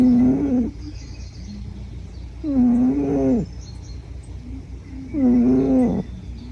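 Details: Sleeping female Scottish Fold, brown and white, born February 2009, one of four cats living in a studio, snoring: three low, harmonic rasping snores, each under a second, coming roughly every two and a half seconds over a faint steady hum.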